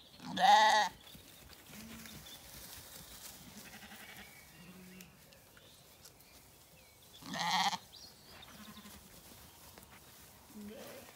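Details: Zwartbles lambs in a County Kilkenny orchard, Ireland, on a warm evening; two loud, harmonic bleats about seven seconds apart, with fainter short bleats between them against a quiet background.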